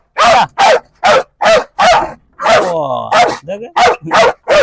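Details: A dog barks in short, loud, evenly spaced bursts, roughly five per second-long stretch, broken midway by a man's voice before the barking resumes.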